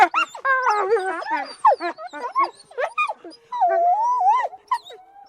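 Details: Eastern wolf. An eastern wolf calls in quick bursts: short quavering howls broken by high whimpers and yelps. The pitch slides up and down between notes, with a few longer level tones near the end.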